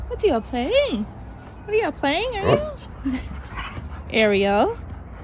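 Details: German Shepherd puppies, a vocal pack at play including Dodger and Arial, giving high arching whines and yips in three bursts separated by short pauses, with swooping pitch and a quiet room behind.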